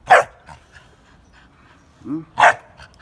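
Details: Three-and-a-half-month-old Pit Bull puppy, kept as a guard dog, giving two sharp, loud barks about two seconds apart, with a brief rising whine just before the second bark.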